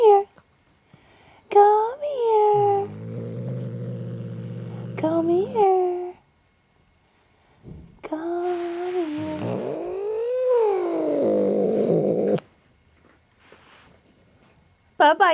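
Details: Jinxie, a pet cat pulled from under a chair, growls low and steadily for several seconds, then lets out a long wavering yowl that swells and fades; a woman talks soothingly to the cat in between.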